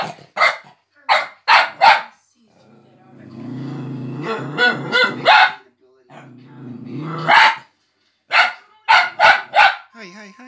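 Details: Four-month-old Fox Terrier puppy Boomer barks in quick bursts of two and three, then growls with rough, grumbling noises for several seconds before returning to rapid, sharp barking.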